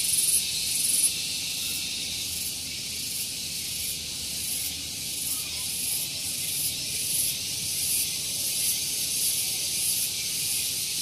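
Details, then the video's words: Cicadas singing loudly on a morning at Gunung Geulis, Bogor, West Java, Indonesia: a dense, continuous high shrill buzz with faint regular pulsing on top, steady throughout, and a soft low rumble underneath. "Relaksasi Suara Tonggeret || Santuy Pagi Ditemani Suara Tonggeret"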